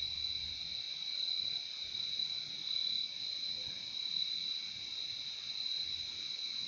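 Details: Insistent high-pitched cricket chorus, a seamless shimmering trill with a fainter lower band, gently swelling and easing in volume, with a short low murmur at the very start.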